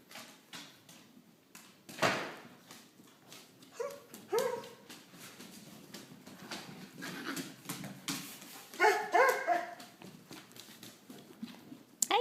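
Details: Finn, a dog in its first week, gives short high whimpering yips in two brief bursts, one early and one later, over steady rustling and scraping, with a person's voice faintly behind.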